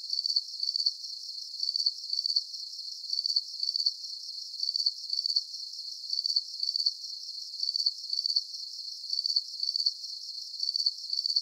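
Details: Crickets give regular, high-pitched double chirps of quick pulses, about forty per minute, over a steady faint hiss; no birds, people or low-pitched sounds.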